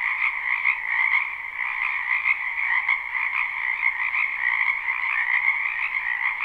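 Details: A live recording of a crowded frog chorus in a wetland during spring: steady, overlapping croaks merge into a continuous buzzing trill, with gentle pulses of louder callers rising and falling across the whole stretch.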